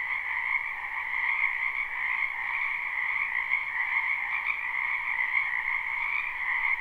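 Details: Spring wetland frogs in a continuous croaking chorus, recorded live without looping near a house; overlapping trills merge into an unbroken, even drone with a bright higher band over a lower one.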